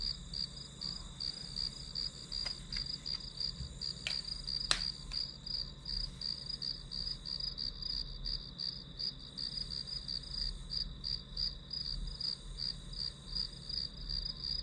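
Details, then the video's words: Steady grass insect chirping as ambient study noise, high pulses about three a second riding a continuous shrill tone, with a few sharp clicks early and a low background hum. "풀벌레 소리"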